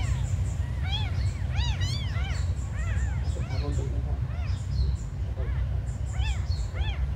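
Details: Several small abandoned kittens call together, their high, bending mews overlapping in dense bursts and then thinning out toward the end, with a continuous low hum underneath.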